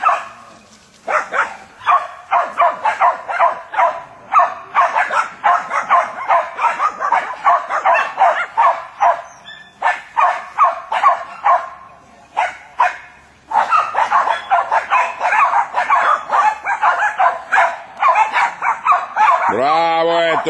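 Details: Jack Russell Terriers (Ettore, Ortica and Maggie) working on wild boar bark in fast, excited bursts of sharp yaps; near the end a harsh, wavering sound cuts in, perhaps the boar, which charged twice and is surrounded.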